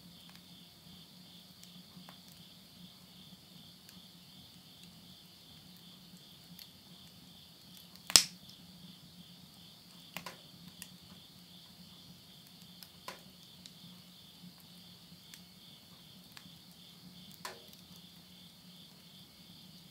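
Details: Insects singing at midnight, end of summer, September 2020, rural Yurihama in Tottori, Japan: a constant high pulsing trill for twenty seconds, with one loud fire crackle and several lighter snaps from a wood stove.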